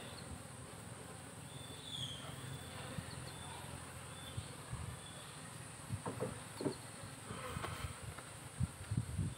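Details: Farmed honey bees in a managed hive colony give a faint, low droning hum. Several short, louder buzzy bursts come in the second half, over light handling noise and a few thin high tones.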